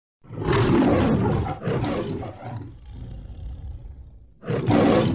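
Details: Lion roaring: two long, deep, rough bursts, then a quieter rumbling pause and a third loud roar starting.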